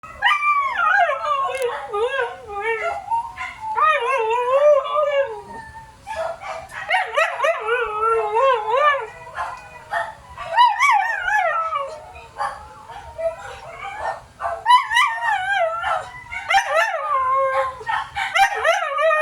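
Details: Siberian Huskies, branded pet dogs, howling and yowling in long wavering, rising and falling cries, several overlapping voices in bursts throughout, with some short sharper barks mixed in.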